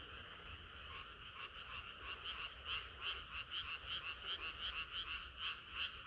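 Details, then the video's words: Summer night frog chorus, the croaking swelling into strong, rapid pulses about three per second, bright overlapping voices stacked in two bands over a soft low hum. "개구리들의 합창은 끝이 없어라"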